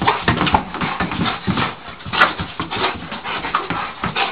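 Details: A dog reacting to a balloon indoors: rapid, excited bursts of short barks and whining yelps follow one another continuously, with scuffling and tapping noises mixed in.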